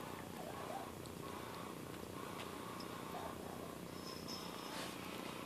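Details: Steady close purring of a domestic cat: a dense, grainy low rumble that never pauses, with a brief faint high squeak near the end.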